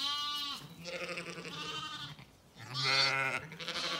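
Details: Zwartbles lamb on a farm in County Kilkenny, Ireland, calling for its mother Ebony after breakfast while she ignores it; two long, loud, wavering harmonic bleats, the second rising and strained.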